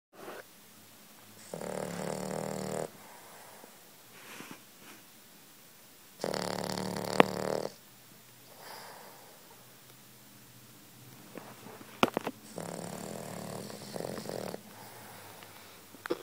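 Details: Sleeping dog lying with eyes open and tongue out, snoring: rough, rasping snore bursts lasting about a second each, recurring every few seconds with softer breaths between, plus a few faint clicks indoors.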